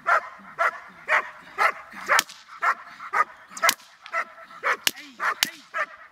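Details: Dogs during training bark steadily, roughly two barks per second, with loud sharp cracks late in the sequence and faint background sounds between barks.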